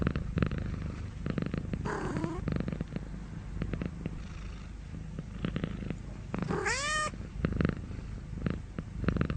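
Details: Domestic cat purring steadily with a rhythmic low rumble, broken near the end by one short, sharp meow that rises then drops, plus faint rustling.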